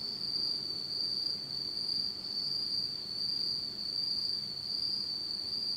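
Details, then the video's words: Japanese autumn insect chorus at night in pitch darkness, a sustained high ringing trill with gentle rhythmic swells roughly every second, faint upper overtone and quiet low rumble beneath. "真っ暗闇の秋の虫の声 Beautiful sound of insects in the fall of Japan in total darkness."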